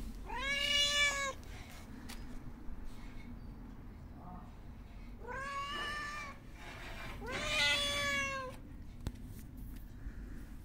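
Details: Hungry homeless cat meowing for attention: three strong harmonic meows, the first short and rising, the later two longer and bending down at the end, with scattered clicks between them.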